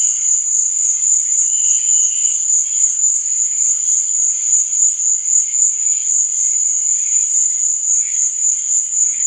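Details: Crickets at night give a constant, shrill, high trill, with quieter, lower chirps scattered through the background.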